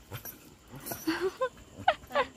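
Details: Dog, likely a puppy, giving short high whining squeaks that rise and bend in pitch, in two brief clusters about a second apart, over faint background noise.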